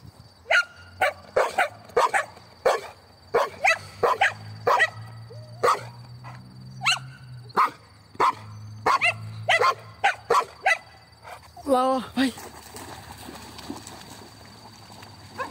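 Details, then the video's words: Dogs, a mongrel and a Pitbull, playing outdoors and fetching a little stone: sharp barks repeated in quick bursts, roughly twenty over twelve seconds, then a drawn-out whining yelp near the end, with faint voices between. "vira-lata e Pitbull brincando"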